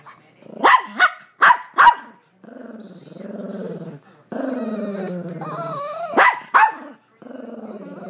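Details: Bernedoodle dog scared of a blind mini-poodle, whining in long wavering harmonic tones between short sharp bark bursts, about three quick barks at the start and two more near the end.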